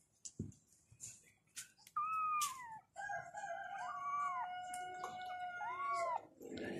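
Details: Kittens calling for their mother, sustained tonal cries with rising and falling arcs, one long wavering wail holding steady for several seconds after a few short soft sounds.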